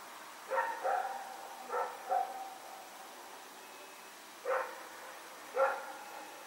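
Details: Night barking from Rex, a dog loose and running about in Pyrga on September 21, 2018. Two pairs of sharp barks come close together, followed by two single barks spaced about a second apart against a quiet background.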